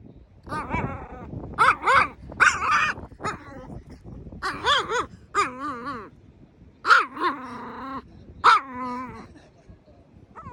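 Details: Mini female Chihuahua barking comically: a series of high, wavering, harmonic yelps and howl-like barks, some short and clipped, others drawn out and quavering, spaced irregularly about a second apart indoors.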